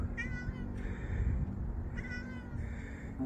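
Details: Cats indoors, rescued kittens living with older cats: two short, high, harmonic meows about two seconds apart, over steady low background music and hum.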